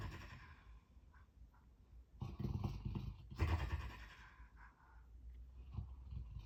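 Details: Sleeping dog producing strange sounds: a quiet, low start, then two louder, gravelly, growl-like bursts around the middle, followed by softer rumbling and small grunts as it settles.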